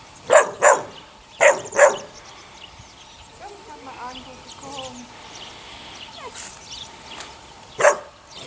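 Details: Sunny's six puppies, aged eight weeks, let out four quick high yaps in two pairs, then quieter squeaky whining, and one final sharp yelp near the end.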